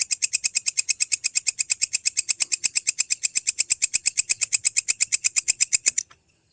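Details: Indonesian walang kecek grasshopper, used as a tutor sound for lovebirds to lengthen their song: a steady, loud run of crisp, high-pitched rasping clicks, about seven per second for six seconds, then abrupt silence.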